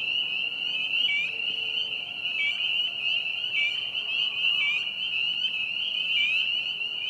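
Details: A dense chorus of spring peepers at a vernal pond in a park on April 25, 2020, their high, piercing peeps merging into a steady shrill ringing.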